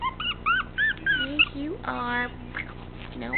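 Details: Male teacup Chihuahua puppy weighing 13 ounces, described as spunky and acting like a Doberman, gives a string of high, wavering whimpers that rise and fall, then a woman speaks over it before a few softer whines.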